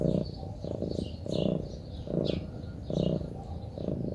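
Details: Low buzzing purr from a relaxing Munchkin cat, pulsing in short rumbling bursts under a second apart, with light bird chirps above.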